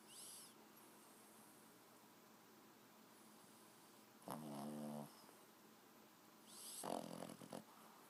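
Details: A 4-month-old Boston Terrier puppy snores quietly in its sleep, two short, rattling, harmonic breaths against a quiet hiss.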